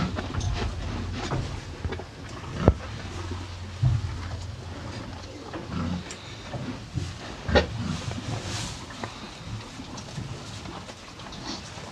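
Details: Hay being eaten by two cows: low muffled munching and rustling, with scattered crisp clicks and a couple of sharper snaps standing out against a deep rumbling background.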